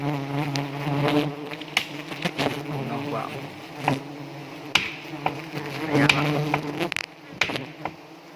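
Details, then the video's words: Honey bees at Pucok Krueng in South Aceh, Indonesia, swarm while being set up, stinging the handler: a dense low droning hum with steady harmonic bands, broken by sharp knocks and rustling handling noises. "di sengat tawon lebah madu aceh"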